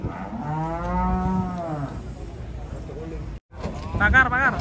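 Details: At Pasar Jelok market, giant cattle step down from a truck; a single long, steady lowing moo fills the first two seconds, then a brief gap and a higher, wavering call or voice close the clip.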